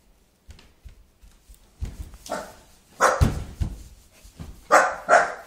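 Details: Puppy named Pookie, frightened by a hula hoop indoors, gives soft yips that build into louder sharp barks, irregular and quick, with a pair of strong barks at the end.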